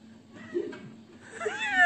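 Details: A big orange domestic cat gives a short, falling meow near the end, preceded by a faint low murmur; room sound in the background.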